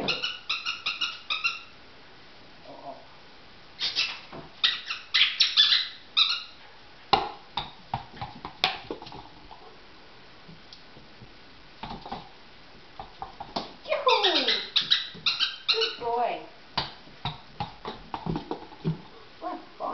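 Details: Poodle indoors during a game of catch with a ball: bursts of high, squeaky, tonal whines and yips, some sliding downward, in clusters separated by short pauses, with thumps and clatter of play between them.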